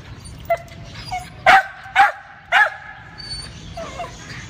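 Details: Lakeland Terrier in a pet store barking three times in quick succession, sharp harmonic yaps about half a second apart, with softer yips before and after and quiet store background.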